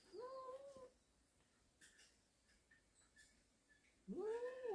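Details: Warehouse cat family, indoors on October 19 during a snake catch: two loud, wavering, whiny meows, one at the start and one at the end, separated by a quiet gap with small clicks and rustles.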